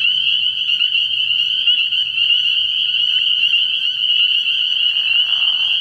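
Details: Spring peepers calling at night from a frog pond in early spring, a continuous high-pitched massed peeping; near the end a short, lower, harsher burst rises under the chorus.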